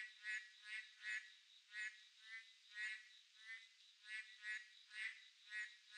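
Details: Midsummer-night chorus of boreal digging frogs, with rich, reedy croaks from several callers following one another in uneven bursts, about two per second, while a constant high-pitched whine runs underneath.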